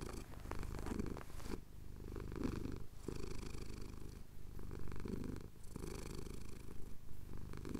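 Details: A male pet cat purring while his chin is scratched, recorded at sunrise over the Cotswold hills on a Tascam DR-07X: a steady low rumbling purr in long breathing cycles, each phase lasting about one to one and a half seconds.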